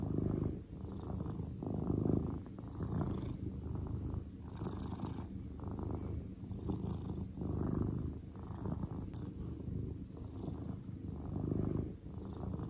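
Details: Deep continuous purring from Cordelia the grey cat at rest, pulsing in soft waves about every second as she breathes in and out, quiet and close, with no background noise.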